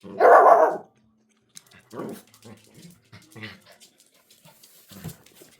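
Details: A five-month-old black-and-tan Shiba Inu puppy, finally brave enough to bark, confronts a recorder: one loud, harsh bark in the first second, then a few faint, short yips and soft rustles.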